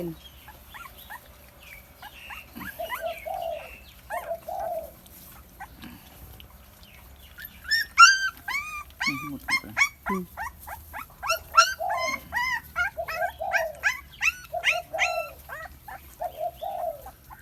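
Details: Thai Bangkaew puppy feeding from a large milk bottle, first scattered soft whines, then a fast run of high, sharply rising and falling squeals and yelps in the second half.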